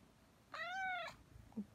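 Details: Cat meowing while kneading indoors beside its owner: a single clear, drawn-out meow of about half a second that rises then falls, followed by a soft faint sound; Korean speech just before and after.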